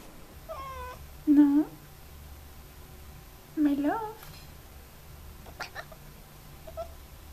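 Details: An F6 Savannah cat, kept as a pet indoors, gives short harmonic meows with falling and bending tones, two louder calls near the middle, amid a woman's soft talking in a small room.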